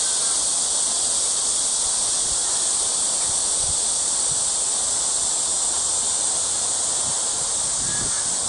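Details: Insect chorus of crickets at Eulsukdo bird sanctuary, Busan, South Korea, on 30 August 2018: a continuous shrill hiss-like trilling, even in loudness from start to finish.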